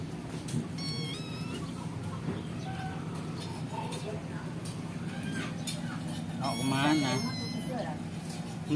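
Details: Nursing kitten taken away from its mother gives thin, high-pitched meows in short bursts near the start and again toward the end, over a steady low hum with people talking in the background.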